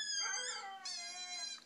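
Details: Pit bull at home howling when coaxed by his owner, who had heard him howl only once before: a high, wavering tonal howl with rich overtones, rising and falling across two drawn-out notes.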